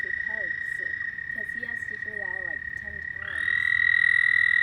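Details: Night frog chorus with a continuous high trill running throughout, a burst of short, lower, quavering croaks in the first three seconds, and another trill rising in and growing louder after three seconds.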